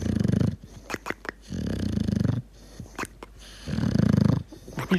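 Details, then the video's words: Deeply asleep dog snoring with gurgles: three low, fluttering snore bursts of about a second each, separated by quiet breaths and small clicking sounds in a small room. "Собака храпит и булькает"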